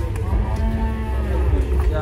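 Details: A giant cow being loaded onto a truck in Indonesia gives a sustained, low, droning moo throughout, layered over deep engine rumble and some background talking.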